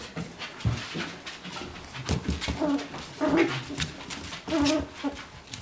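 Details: Litter of four-week-old beagle pups: brief nasal whines around the middle and near the end, between soft grunts, sniffing and handling noises indoors.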